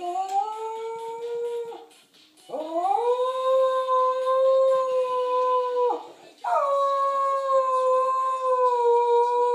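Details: Shetland Sheepdog named Quest howling at home once a family member has gone to the store; three long, steady, drawn-out howls of about three seconds each, separated by brief breaths, pitch holding level with a slight rise at each onset.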